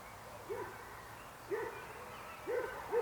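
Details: Short, low, hollow frog notes, about one per second, in an otherwise quiet setting.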